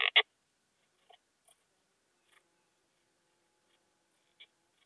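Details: Wild Poecilimon gracilis at Hajnzgraben, Austria, 19 August 2021: two brief raspy chirps at the start, then scattered faint ticks over a quiet background.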